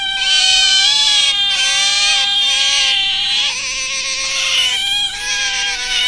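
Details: Pet otter kept indoors, calling nonstop: a shrill, harmonic, wavering squeal that dips and steps between slightly different pitches every half second or so, with no other sounds.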